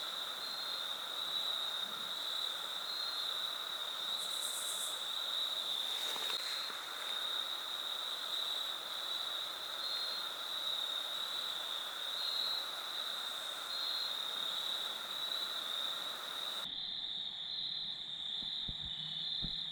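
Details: Crickets keep up a steady, high-pitched chirring chorus over a soft background hiss, recorded in autumn along the Foothills Trail near the Horsepasture River.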